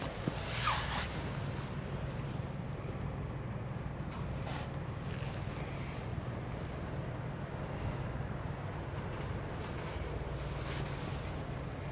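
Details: Wind buffeting the microphone over a low, surf-like rumble, with no animal voice present.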